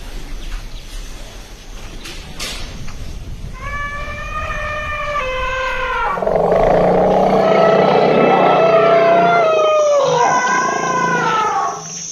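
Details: Elephant at Hojai, Assam, India, giving long, even tones with bright overtones. They swell into a loud, rasping, trumpet-like roar over a deep hum and close with a descending wail. Faint clicks come before the calls.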